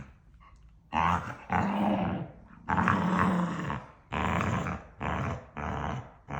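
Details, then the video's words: A pair of pet dogs play-arguing nose-to-nose, trading yaps and playful love bites; after a quiet second, loud rasping growl-yaps come in five bursts, the later ones short and evenly spaced. "Dog Husband & Wife Have A Serious Argument Yapping At Each Other Everyday"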